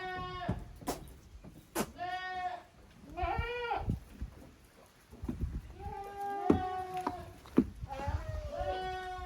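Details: Playtime for Koharu's and Okayu's goat kids, split into two teams in the exercise yard of a handmade Japanese goat farm, 13 June 2023; repeated high, wavering bleats overlap, punctuated by sharp knocks and thumps.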